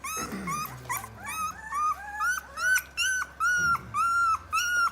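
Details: Three-week-old Rottweiler pups, 23 days of age, give a steady series of high, slightly falling whines about twice a second, clear and fairly loud, with a few lower squeaks at the start.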